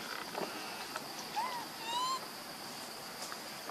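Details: Lonely baby monkey missing its mother utters short tonal whistles, one arching up and down, then a longer gently rising cry, against a faint constant hiss.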